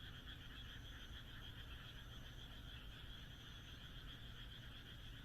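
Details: Countryside frogs in Japan on a moonlit night form a steady chorus of fast, rattling croaks layered in two pitch bands, with occasional thin higher notes above and a constant low background hum.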